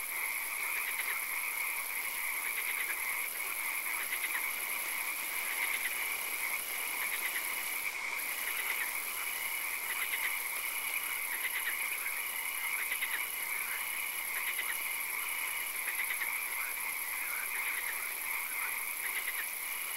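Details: Frogs calling in a swamp at night with occasional rain: a dense chorus of short, rapidly repeated croaking chirps that overlap throughout, over a constant high, thin whine and a steady background hiss.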